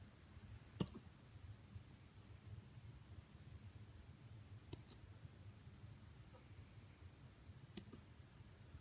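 A corgi hiccups with soft, sharp clicks spaced a few seconds apart in a quiet room.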